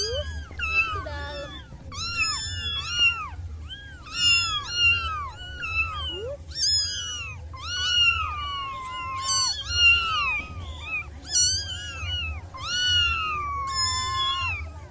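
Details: A litter of six wild kittens keeps up a near-continuous chorus of piercing arched meows, bursts roughly every second or two, some cries stretched and wavering, over a soft low background hum.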